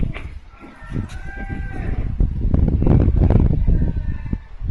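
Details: Max, a Cavalier King Charles Spaniel on a walk, snorting through his nose in a reverse sneeze a vet later diagnosed; loud, low, rapid honking snorts, several per second, with a faint voice early on.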